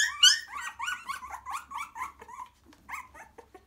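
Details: Nest of three-week-old cockapoo puppies settling with their mother: shrill, quavering whimpers with rising and falling pitch, tumbling out rapidly, then fading into a few softer squeaks and whines.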